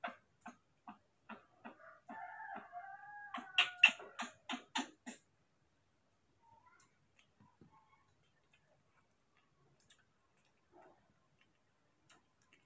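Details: Moni and Mino, two baby monkeys raised at home, eager for morning milk: a short quavering, whining tonal cry sliding slightly downward, set among a steady series of sharp clicks and taps, then near silence.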